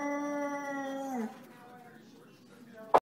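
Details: Vizsla dog mooing: one steady, drawn-out low vocal tone held just over a second with rich overtones, sliding down and fading at the end, followed by quiet and a sharp click at the close.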